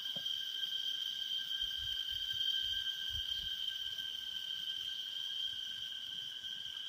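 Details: Cicadas in Taroko National Park, Taiwan, sing in an unbroken, high, ringing drone that holds one steady pitch throughout.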